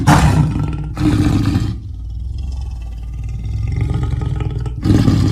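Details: Leopard giving a deep, rumbling growl likened to a large engine, with loud low bursts at the start and end and a softer steady rumble between.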